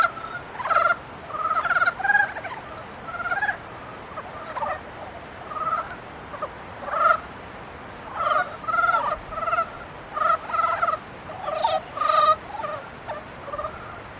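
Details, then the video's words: Frogs calling in the mating season: repeated nasal, rattling bursts from several animals, some single, some in quick doubles, spread steadily through the recording. "개구리 짝짓기"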